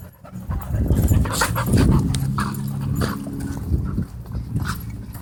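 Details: Dogs playing at a dog park give low, rumbling growls that run almost continuously through the clip, with breathy panting and scuffling noises mixed in.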